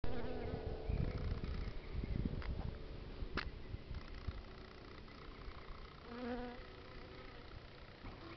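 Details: Honey bees foraging among red flowers, a low droning buzz of wingbeats rising and falling as insects pass close, with occasional brief clicks and a faint tonal hum.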